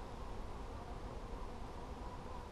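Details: Honey bees during a hive check on 17 July 2020, frames being handled: a dense, steady low buzzing hum with no clear breaks, sitting under broad rustling noise.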